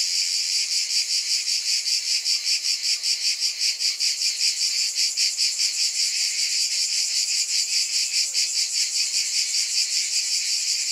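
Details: Cicadas in a dense chorus: a continuous high, shimmering buzz that swells and fades in steady pulses about two and a half times a second. No other sounds break through.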